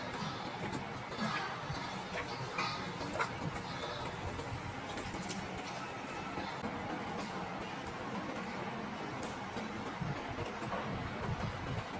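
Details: Steady broadband rustling with scattered clicks and crunches, like munching, and no animal call. The texture stays even throughout, with faint background sounds and no clear voice from any animal.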